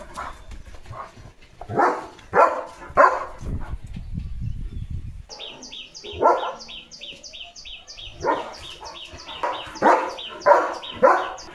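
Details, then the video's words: Leo, a German Shepherd, on morning guard duty in a village, barking at cattle, vehicles and dogs; loud broadband barks come in bursts, a low rumbling noise in the middle, then a rapid high-pitched chattering sound alongside later barks. "बघा बघा! सकाळी असा गोंधळ घालतो Leo The German Shepherd"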